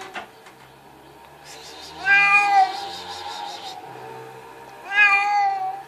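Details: Talkative cat giving two loud drawn-out meows, each bending downward at the end, about three seconds apart, with faint background music and murmuring voices underneath.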